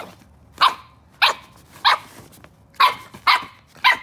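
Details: Miniature Australian Cattle Dog puppy Daisy, a red female about weeks old, playing on a folding chair; six sharp, high puppy barks, roughly one every half second, each a bright yappy burst with little else around.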